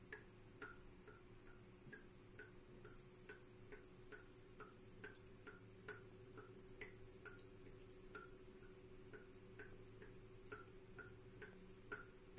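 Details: High-pitched pulsed chirping from a tropical house cricket runs without pause, its rapid beads unbroken, while crisp lower clicks with a downward slide repeat a little over twice per second over a steady mechanical hum.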